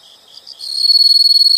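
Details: Insects in a relaxing nature recording: high, shrill chirps start softly and then settle into a fast, even pulsing of about ten beats per second, with a thin steady ringing tone running through it.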